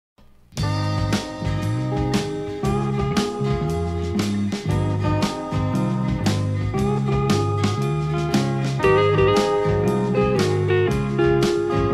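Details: Slide guitar music with steady plucked bass notes plays throughout, with no animal voice.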